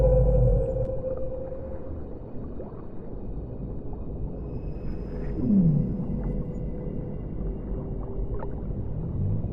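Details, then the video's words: Whale song recorded underwater: low moaning tones and a short descending sweep near the middle, over a steady gurgling, rumbling background with faint clicks. "O CANTO RELAXANTE DAS BALEIAS"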